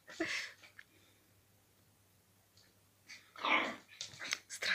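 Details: Pembroke Welsh Corgi puppy from a Moscow-Chekhov kennel, calling a kitten to play, unaware it has run out of a tube: brief whiny yelping bursts, a pause, then louder grumbling, breathy vocal bursts indoors.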